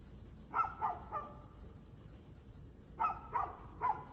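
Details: Domestic dog barking at 6:02 pm, 2/6/2024, in two quick bursts of three sharp barks separated by a two-second pause, with faint low background hum.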